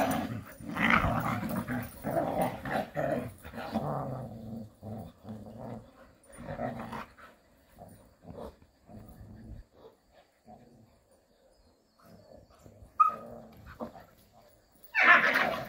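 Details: Jindo dogs at play in the countryside: dense, gravelly growling for the first six seconds breaks into short scattered grunts, then near quiet, ending in a loud snarling burst.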